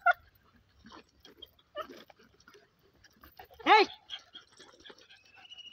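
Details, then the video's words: German Shepherd during mating gives a single sharp, loud yelp with stacked harmonics, sliding up then down, partway through an otherwise quiet stretch of faint clicks and rustling; a thin steady tone drifts in near the end. "german Shepherd mating"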